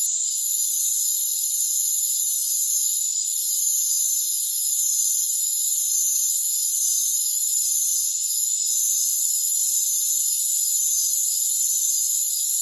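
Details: Rainforest crickets in a dense, unbroken chorus: several steady high-pitched ringing tones stacked together, with a bright hiss above them. Two brief dips in loudness break the drone. No low sounds at all.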